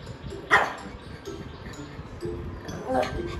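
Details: A pet pug lets out one short, sharp yip-like bark with bright stacked harmonics. Quieter low murmurs follow, then a softer second burst near the end, over background human speech.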